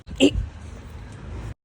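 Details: A Rottweiler, after grabbing a ball, gives one brief, harsh grunting sound, followed by low background rumble.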